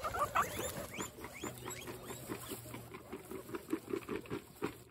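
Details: Pet guinea pigs from a herd of 26 females at a peaceful dinner time, giving short rising squeaks and chirps over a busy patter of munching and rustling, with a steady low hum underneath.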